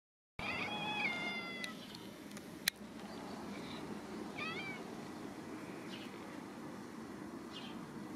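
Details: An angry Scottish Fold cat, entrenched under a blanket, gives an irritated, drawn-out meow, then short chirping calls at birds.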